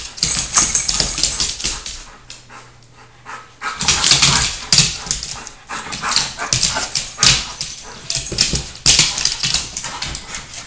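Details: Old English Sheepdogs at play at home: short, harsh, broadband bursts come at irregular intervals, with scuffling and movement noise in the quieter gaps between them.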